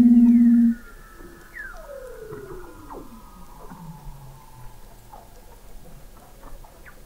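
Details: Weddell seals recorded in November 2017 beneath sea ice in McMurdo Sound, Antarctica, from an observatory 21 m under the ice: a loud steady low tone, then long slow descending whistles sliding downward over several seconds, with faint chirps behind.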